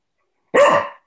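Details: Coco, a pet cocker spaniel, gives one short, sharp bark during indoor play time while waiting for a ball to be thrown; the single bark is loud and abrupt, about half a second long, between a person's playful talk.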